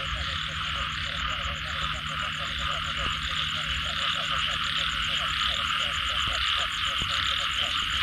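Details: Frog chorus after rain: many overlapping short knocking croaks in rapid repeated bursts, beneath a constant high buzzing drone and a faint low hum.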